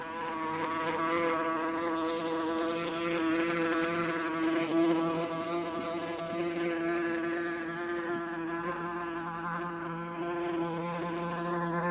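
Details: Wasp in flight, captured with 8D technology: an unbroken, slightly wavering buzzy drone with a deep hum and bright overtones, holding steady in loudness for the whole stretch.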